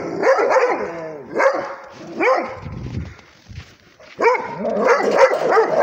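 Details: Rhodesian Ridgeback barking at a tablet: arching, yelping barks with bending pitch, some drawn out and whiny. A low rumble sits between them, and a final cluster of several barks comes in quick succession.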